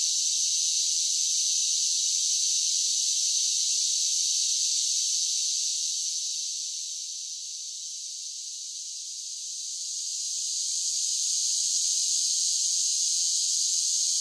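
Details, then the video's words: Continuous shrill buzz of cicadas singing in summer, steady at first, dipping softer around the middle, then rising again to full strength. Nothing else is audible. "10 Hours of Cicada Sounds for Relaxation with Soothing Summer Nature Sounds"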